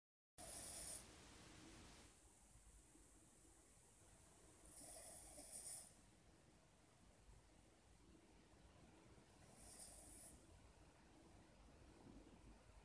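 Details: Cavalier King Charles Spaniel (Canis familiaris), snoring.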